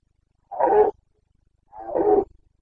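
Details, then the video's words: Two gruff, throaty roars about a second apart from a Carpathian stag during the rut, or boncănit, in Bucovina on 29 September 2022, each rough-edged and lasting under half a second, with quiet between. "Boncănit / Carpathian stag Breeding season 29.09.2022"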